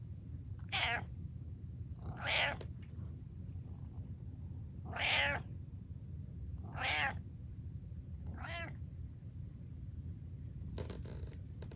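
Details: Pet cat Butters attempting a normal meow, producing five brief hoarse, squeaky meows at irregular intervals across the recording, with low room noise beneath and a faint rustle near the end.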